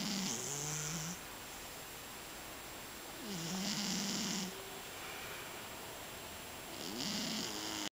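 A Scottish Fold cat snores softly, each raspy breath returning about every three and a half seconds.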